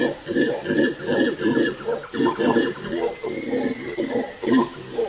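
A macaque gives a rapid series of low, hoarse grunting calls, about two or three each second, with a faint background hiss.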